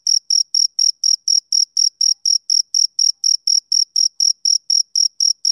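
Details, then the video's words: High, thin chirps from a male cricket of summer evenings, about twenty short pulses in five seconds, evenly paced and rhythmic, with nothing else audible behind them. "Cricket Chirping Sound Effect"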